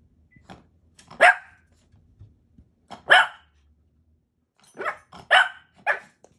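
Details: Shih Tzus chasing a laser pointer; sharp, high barks come singly about every two seconds, then three in quick succession, with faint soft scuffling between.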